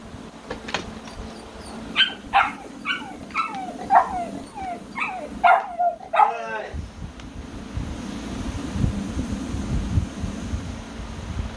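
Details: American Bully puppies giving a quick run of about eight high, sharp yips roughly every half second, ending in a wavering whine, then a rumbling hum carries on without barks.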